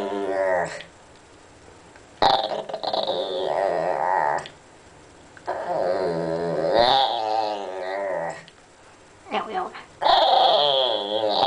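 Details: A white Pekingese makes drawn-out, wobbling moans and grumbles in four bursts separated by brief pauses. The voice bends up and down in pitch with a growly edge, sounding almost like speech, as if trying to say something.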